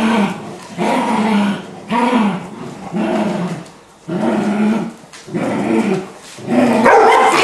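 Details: Beagle puppy named Happy, annoyed at not getting the toy during play while Dinky the Labrador looks on, gives drawn-out, growly barks in about six separate bursts with short pauses between them.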